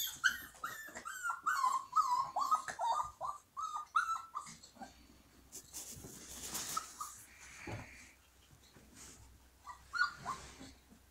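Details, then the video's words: Siberian Husky puppies singing indoors: a fast run of short, wavering harmonic yips and howls repeated about twice a second, then rustling noise and a few scattered whines near the end. "Хасята поют."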